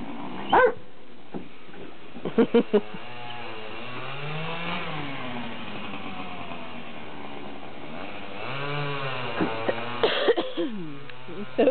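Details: Leonberger Enzo at a playdate with puppies: long, wavering whines rising and falling for several seconds, broken by short sharp barks near the start, middle and end, over a low hum, with a person offering reassurance.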